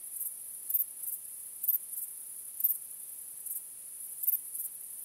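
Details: Night crickets under a starry sky: an unbroken high-pitched hiss-like trill, broken by louder bursts of chirps about once a second.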